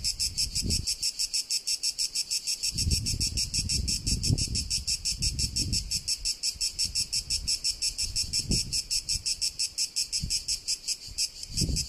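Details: Cicada in Tuscany, Italy: a loud, steady, high buzzing pulsed about three times a second, with intermittent low rumbling bursts underneath, like wind or handling noise.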